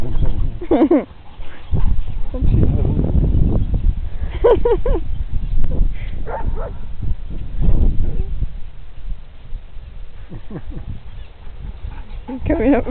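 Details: Two Briards, Molly at 18 months and Fred at 7 months, playing together outdoors on a green. Short harmonic yips and barks come in bursts near the start, middle and end, over heavy low rumbling noise throughout.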